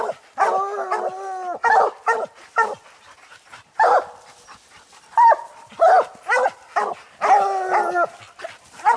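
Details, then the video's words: Coon dogs Lucky, Mossie and Star bay at a treed ringtail on a hunt. Drawn bawls with clear ringing tones alternate with short barks, several voices overlapping at an irregular pace. "coon dog treed"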